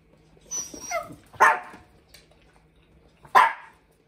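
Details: A dog barks indoors during bell-ringing training shared by a 10-month-old pomeranian and a beagle. A bright bell-like ring comes first, then two sharp single barks about two seconds apart, with an owner's voice in Norwegian around them.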